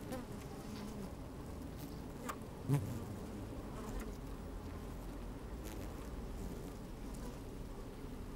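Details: Honey bees working inside an open hive on a fine, sunny day, microphone slid down among them: a steady low droning hum with bands of tone near 200–300, a brief louder buzz burst midway, faint clicks of movement throughout.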